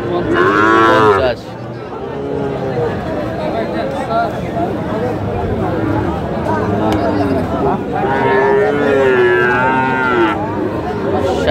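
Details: Sahiwal bull calves at Aftabganj cattle market on 28/9/25, where Dhaka farmers buy calves. A harmonic moo opens, then a softer stretch of crowd murmur, and a second long drawn-out lowing call near the end.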